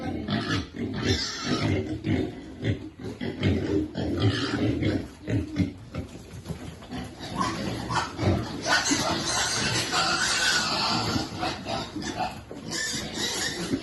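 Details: Pig feeding piglets, with rough low grunts and snuffling repeated irregularly over a busy, noisy background of broadband clatter and some hiss.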